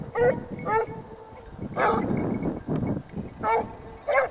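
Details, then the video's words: Several Basset Hounds from the French kennel Rallye de l'Allagnon trailing scent, giving drawn-out, ringing bays in uneven bursts of two or three, with pauses and rustling between calls. "Basset Hound siguiendo rastros"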